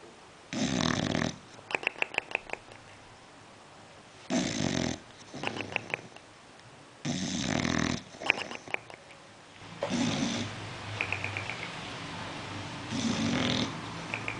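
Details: Sleeping bulldog snoring indoors: broad noisy bursts about a second long, roughly every three seconds, each followed by short rattling clicks, in a quiet small room.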